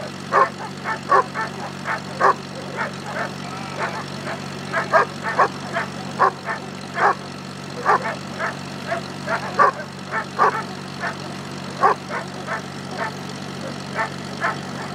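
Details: German Shepherd doing Schutzhund bite work with its handler at a club in Temecula Valley, California: loud, sharp barks in quick irregular bursts, roughly seventy per minute, over a steady low hum.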